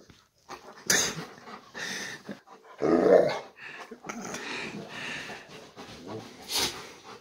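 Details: Two American black bears, Kevin and Russel, wrecking a bedroom indoors; short rough growling bursts and snorting breaths between clattering thumps, the loudest growl near the middle, heard in a small room.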